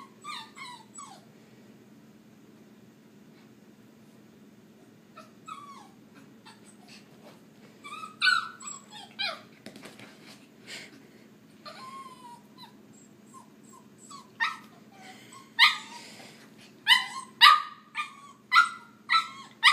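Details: Puppies whimper and whine in faint, wavering high squeaks over a steady low electrical hum, building toward the end into a run of louder, sharper yips.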